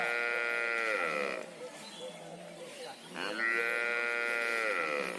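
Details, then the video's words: Mother cow mooing for her calf: two drawn-out, harmonic-rich moos of about a second each, the first falling slightly at its end, separated by a quieter stretch with faint background noise. "Cow Mooing"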